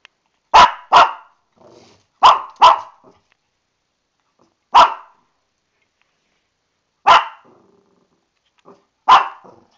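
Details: Lani, a female Shih Tzu, barks angrily in a bathtub, upset about a coming bath: sharp bark pairs and single barks spaced a second or two apart, with faint softer sounds between.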